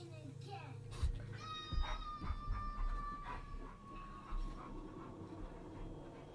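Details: A husky/malamute cross gives a long, high whine that slowly sinks in pitch. It is asking for food, pausing dramatically after being told to go to his bed for a biscuit, seemingly hoping to be fed where he stands.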